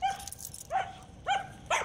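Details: Aggressive German Shepherd, described as extremely reactive to other dogs, squirrels, cats, birds and vehicles; three sharp, high, ringing yelping barks in under two seconds, each rising then falling, with brief pauses between.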